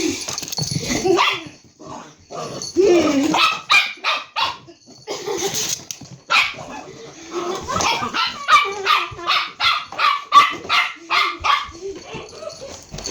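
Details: Dog barking back at its owner in a mock argument: a rapid run of short, sharp barks, several per second through the second half, after mixed voices and barks at the start.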